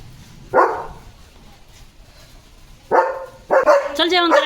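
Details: German Shepherd dog on a rainy, windy evening, barking in sharp single and paired bursts separated by pauses, with a man's voice calling the dog to come and eat.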